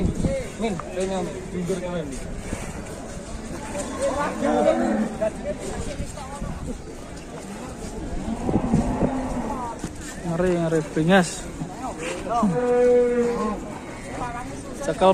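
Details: Raging cattle from an Indonesian livestock compilation, giving drawn-out harmonic moos, the longest steady one near the end, mixed with people talking and background bustle.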